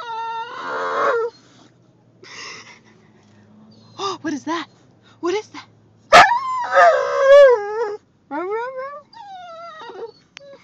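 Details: Female Boxer dog in a car whining and crying at the sight of other dogs: bursts of high, wavering, harmonic whines and yelps, some rising then falling, with a sharp click midway and faint road rumble.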